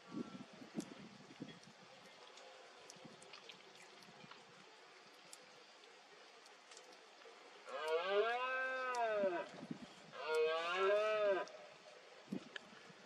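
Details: Rutting red deer stag in misty Cantabria, Spain, 2022: after quiet rural background, two loud drawn-out roars about a second and a half each, rising then falling in pitch, with rich harmonics.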